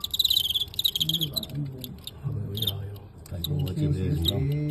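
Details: Crickets chirping while fighting a well-known Guangxi cricket, filmed on the spot in a narrowly won match. One pulsed burst of high chirps opens, then a single short chirp follows, beneath steady Cantonese commentary from a man.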